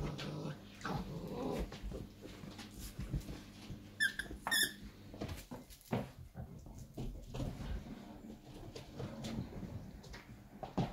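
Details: Five-and-a-half-week-old Irish Wolfhound puppies: two brief high-pitched squeaks midway, set among soft bumps, rustling and low thuds of puppies moving about.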